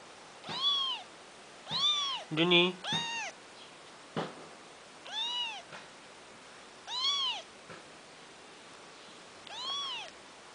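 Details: Junior, a kitten once found on the streets, repeats arched meows roughly every one to two seconds while playfully attacking the big cat Noro, with a brief raspy squabbling burst and a thump among the calls.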